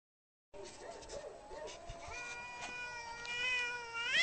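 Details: Angry cat giving a low, wavering growl-like moan that swells into a long, drawn-out yowl, held steady and then rising sharply in pitch and loudness at the end; no other sounds.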